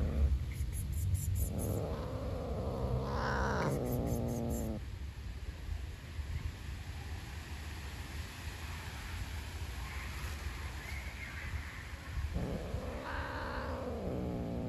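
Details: Outdoor stray black cat, hungry, growls to keep its food from a beige cat; rising, wavering growl-yowls at the start and again near the end, separated by a quieter stretch of low rumbling background noise.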